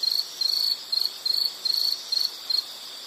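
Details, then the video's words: An insect calls in a relaxing nature recording, giving short high-pitched trilled bursts separated by brief gaps, roughly three pulses a second, over a soft hissing background. "Nature Sound of nature sounds scenery L · insect"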